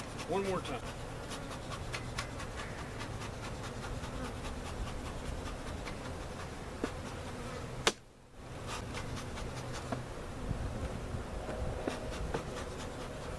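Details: Honey bees from a cutout hive being placed with their comb in a permanent location at Jerome Bee Farm, Central Oklahoma, recorded on a Sony FDR-AX53 camcorder; a steady low droning hum with scattered clicks and a brief dropout near eight seconds.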